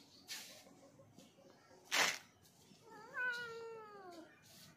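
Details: Pet black cat; one drawn-out, harmonic meow that rises and then falls, lasting about one and a half seconds, after brief rustling and a sharp noise burst.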